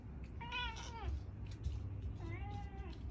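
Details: Indoor cat, still wanting more after eating, gives two meows: a brighter rising-falling one, then a softer drawn-out one, over a steady low hum and faint background voices.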